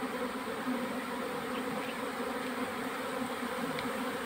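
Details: Honey bees at a hive during a February honey harvest, a steady dense buzzing hum continuous throughout, with a person saying "look".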